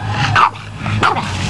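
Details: Female Boston Terrier playing in water and 'talking', answering when asked what she wants by asking for water: two drawn-out, whining yowls with falling pitch about half a second apart, low music droning underneath.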